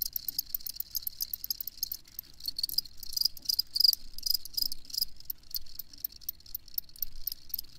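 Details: High, clear cricket chirps repeat rapidly in short pulsed bursts, several callers overlapping into a steady ringing chorus with little other sound.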